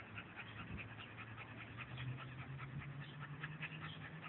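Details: Scottish Terrier named Lassie, a pet, panting steadily while playing with a ball; quick, breathy rhythmic pants run through the whole stretch with a faint low hum behind.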